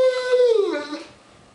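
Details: Dog prompted to "speak" and say "I love you" indoors: a single short, voiced howl-like utterance that starts steady and slides downward in pitch, fading within about a second.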